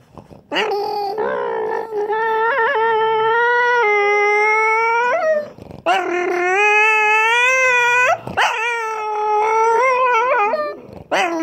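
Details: French Bulldog. A French Bulldog produces three long, sustained vocal bouts, each a tonal, nasal howl-whine that wavers in pitch. The sound swells and dips much like a racing engine revving, with brief pauses between bouts.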